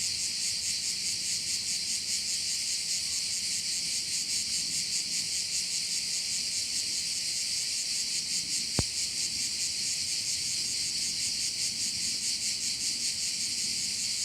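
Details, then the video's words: Chorus of crickets over a bay on Korčula in Croatia, a continuous high-pitched buzzing that throbs in quick regular pulses, broken once by a single sharp click. "view of one of the bays in Korcula with sounds of crickets"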